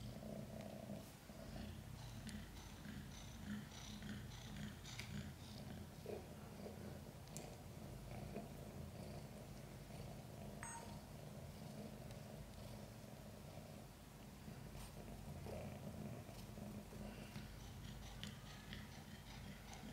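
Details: Domestic cat Chan purring through the birth of five kittens, a difficult labor with backward-born kittens; even, deep vibrating purr sustained for the whole stretch, with occasional small clicks and movement sounds nearby.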